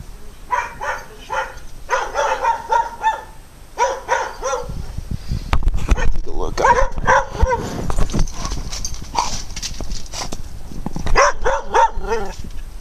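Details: Several dogs bark loudly at the person recording, in rapid, harsh, overlapping clusters; the person suspects one sounds mad and talks over them amid rustling and handling noise.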